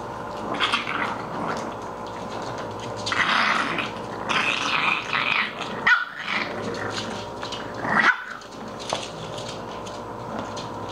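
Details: English Bulldog puppies at play indoors: rough growling and short yappy barks come in bursts, loudest around the middle and again near the end, over a steady mechanical hum and occasional knocks.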